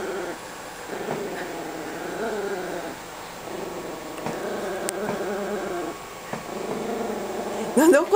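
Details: Chihuahua guarding a bone inside a couch growls as a person reaches to pet her: a continuous wavering, motorcycle-like rumble that rises and falls, with a woman speaking Japanese and a sharp sound at the end.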